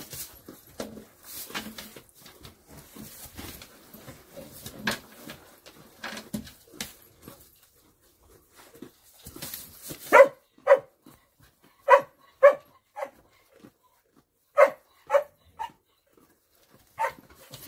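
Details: Female dog in hay: soft rustling at first, then a run of short, sharp yelps or whimpers, each a brief tonal burst, arriving about every half second to second in uneven groups.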